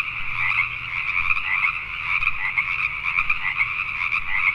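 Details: Pacific tree frogs in full nighttime chorus, Richmond, British Columbia, Canada. Overlapping creaky croaks stream continuously with slight surges, and a faint steady low hum lies underneath.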